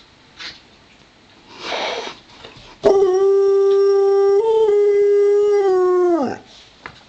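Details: Play-wrestling between Romeo the Pomeranian and Joplin the Ridgeback mix: a burst of scuffling, then a long dog howl held over three seconds, stepping slightly up in pitch midway and sliding down as it ends.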